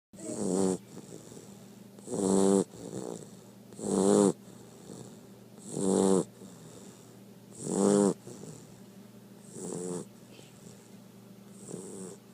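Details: Blue Great Dane puppy, two months old, snoring during a morning nap: soft rasping snores about every two seconds, each roughly half a second long, in a quiet room.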